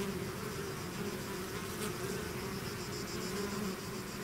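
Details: Bees swarming out of their hive: a thick, unbroken buzzing hum of countless wings, even in loudness from start to finish.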